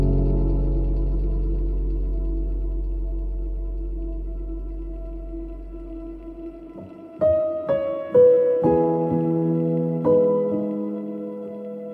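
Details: Soft ambient music: a fading low drone followed by gentle piano-like notes struck every second or so, with no animal sounds.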